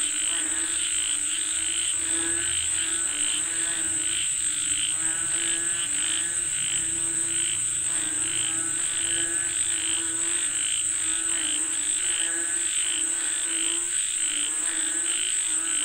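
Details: Many frogs calling for rain, a dense overlapping chorus of rapid, pulsed, nasal croaks throbbing continuously, with a steady high-pitched insect whine above and a faint low rumble early on.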